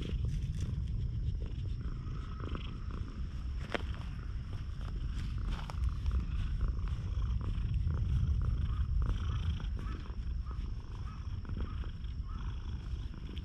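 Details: Stray cat missing one eye and very tame, captured on a GoPro HERO8: an unbroken low, pulsing purr carries on for over thirteen seconds under light rustling and occasional clicks.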